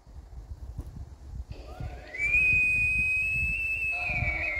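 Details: Bull elk, one of two wild bulls bugling at each other on 27 September 2024, stalked near a cabin from about 100 yards: a whistled note glides upward, then holds high and steady for about two seconds before dipping at the end, over soft rustling.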